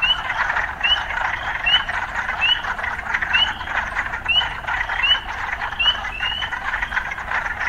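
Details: Frogs in an urban soundscape: sharp rising whistled notes repeat roughly every 0.8 seconds above a dense, pulsing croaking chorus.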